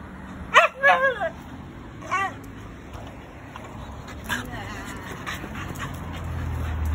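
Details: Shiba Inu welcoming its owner home, giving a burst of wavering, whining yelps that rise and fall over about a second, then one shorter whine, with steady background noise and faint music.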